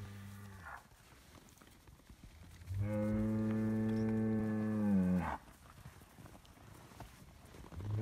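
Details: Scottish Highland cattle bull on a farm in Finland, fed bread: one long, steady, low moo lasting about two and a half seconds, with a shorter moo at the start and another beginning at the end.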